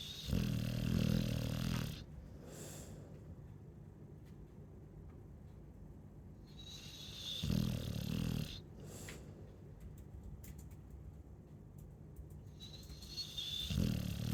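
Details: Chow Chow dog asleep and snoring: deep, rumbling, pulsed snores roughly two seconds long, returning about every six seconds, with quiet breathing between and faint rustling.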